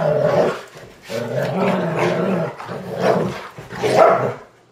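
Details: Two German Shorthaired Pointers wrestle over a blanket on an early Saturday morning, giving rough, throaty growls and grumbling vocal bursts in quick succession during play.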